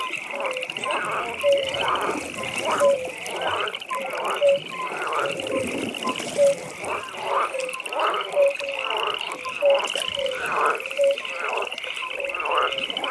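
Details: Frogs at a pond in nighttime ambience: loud rasping croaks repeat about every one to one and a half seconds over a steady high pulsing trill and brief tonal notes.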